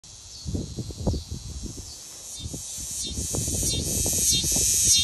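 A cicada's song: a steady, high, hissing buzz that drones on without a break.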